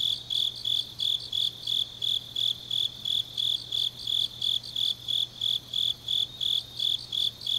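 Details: Grass insect song from an autumn night in Changnyeong, Korea: high-pitched chirps repeating steadily about three times a second, evenly spaced and unbroken, with a soft low hum underneath.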